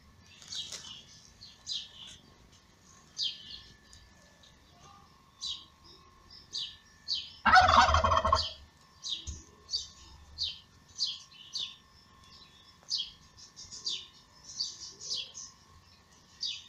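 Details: Newborn kittens of Lady Ginger, a cat who gave birth in May, crying while being fed by their mother: high, thin squeaky mews repeated roughly every second, broken midway by a brief loud rustling burst, over a faint steady hum.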